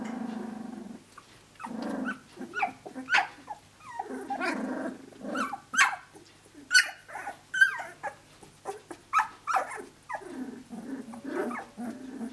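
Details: Seventeen-day-old Australian Shepherd puppies at play, vocalizing together: bursts of low growling broken by sharp high yips and squeaky whines, coming in rapid irregular pulses.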